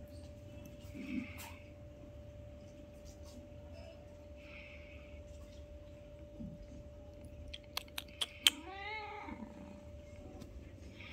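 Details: Newborn kitten with its mother during their first meeting, one of five kitties: a few sharp clicks, then a single high, trembling mew that falls at the end, against a low steady hum and faint rustles.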